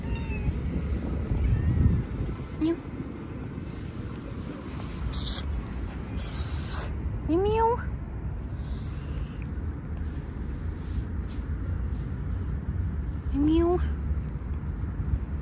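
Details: A hungry stray cat by the roadside wants food and tries to open a school bag; two short, rising meows about six seconds apart, partly masked by steady outdoor noise and occasional speech.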